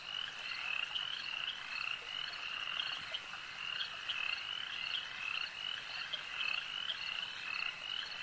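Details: Dense chorus of frogs at a lake, with many voices giving quick, high, chirping croaks in steady overlapping pulses, some individual calls ringing out above the rest.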